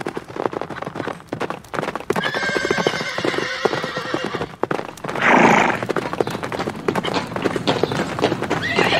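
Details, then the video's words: Horses galloping in nature, their hooves pounding densely throughout, with a faint, drawn-out neigh partly buried under the hoofbeats and a rough burst of breathy noise midway. "Sounds of horses in nature (neighing + galloping)"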